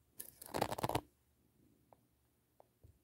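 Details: Brief burst of crinkling and scraping handling noise indoors, followed by quiet room tone and a few soft knocks, with no animal sounds heard.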